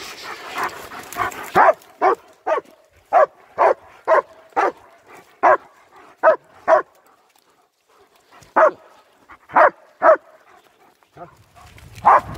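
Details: Nico and Zeeva, two German Shepherds walking in winter around Hawick, Scotland, caught on an S23 Ultra: steady volleys of short, forceful barks repeated roughly every half second, pausing briefly, then several more barks over light background noise.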